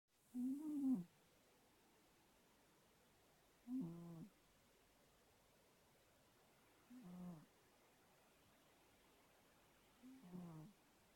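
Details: Fat pet cat snoring indoors. Four low, pulsing breaths repeat roughly every three seconds, each lasting under a second, with quiet stillness between them.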